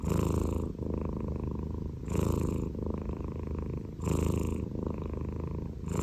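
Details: Snoring Scottish Fold cat, low buzzing rumble that swells with each breath about every two seconds, louder rasping bursts alternating with softer continuous drone.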